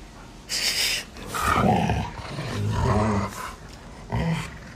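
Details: Alaskan Malamute, a pet dog indoors, vocalizing in annoyance when its owner pretends to eat dog-meat hotpot: low, rough grumbling growls in several bursts of about a second each, some with rising, howl-like tones, with human voices nearby.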